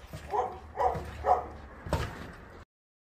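A Boerboel gives a quick run of deep, gruff barks, about two each second.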